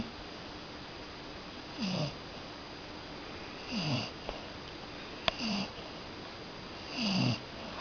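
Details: Sleeping Cocker Spaniel snoring, four wheezy downward-sliding snorts spaced roughly every one and a half to two seconds, with a faint click and constant background hiss in a quiet room.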